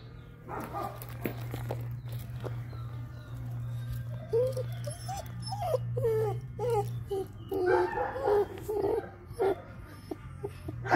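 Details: Liver sable German Shepherd puppy, long coated and 8 weeks old, whining in thin rising and falling whimpers that cluster in the second half, with a constant low droning hum underneath.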